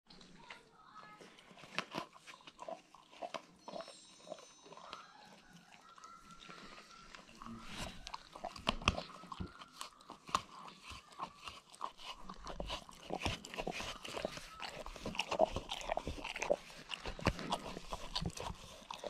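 A German Shepherd licks noisily, making quick wet smacks and clicks of tongue and lips.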